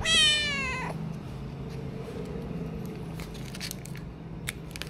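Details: Stray kittens fed a small amount of food, recorded on an action camera; a single loud, bright meow opens, falling slightly in pitch and lasting under a second, then low rumbling background with scattered clicks and a faint second cry.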